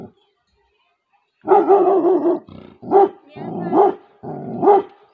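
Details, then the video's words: Female Labrador Retriever in a village in Tehri Garhwal, Uttarakhand, India, guarding her territory with a run of rough, drawn-out barks and growly bow-wows, the pitch rising and falling within each burst, several bursts in a row. "Labrador fml guarding her terorritory"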